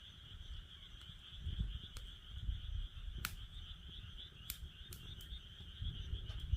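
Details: Frogs trill steadily and high beside a fire pit, their call a constant rippling drone, interrupted by a few loud cracks and pops from the burning firewood over low background rumble.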